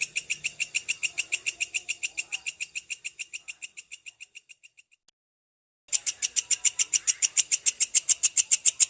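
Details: Grasshopper known locally as belalang kecek panjang, offered as a training sound for songbirds: steady, rapid series of crisp metallic ticks that fade out, break off for a second, then resume loudly at the same pace.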